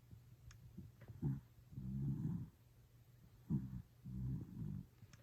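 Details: Toy Poodle snoring while sound asleep, recorded secretly: low rumbling breaths in two clear bursts about two seconds apart, each a grainy drawn-out snore, with a steady low hum underneath.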